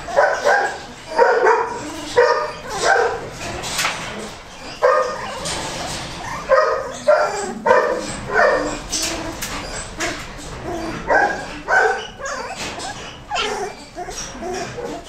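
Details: Young Goldendoodle puppies yap in quick, roughly regular bursts about once a second, shrill and harmonic, with several voices overlapping and scuffling noises in between.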